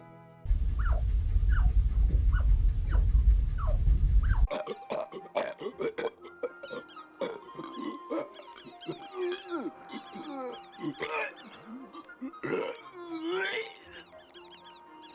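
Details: Chinchilla; pup comfort call; pup comforted while cuddled or fed by a parent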